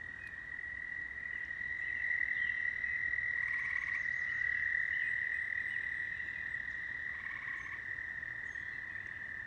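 A chorus of frogs keeps up a continuous, high-pitched trilling hum. Every few seconds a nearer frog adds a burst of rapid, rattling croaks above the steady background.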